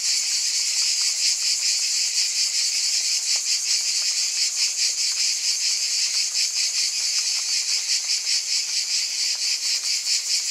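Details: Cicadas in a dense, unbroken chorus: a shrill, high-pitched hiss-like buzz that never pauses, with a fast, slightly uneven throbbing pulse running through it. No other creatures or background sounds stand out.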